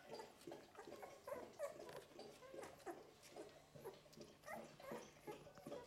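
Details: Eleven-day-old Golden Retriever puppies in a litter, giving a busy stream of short, high whimpering squeaks, about three a second, overlapping and uneven, indoors.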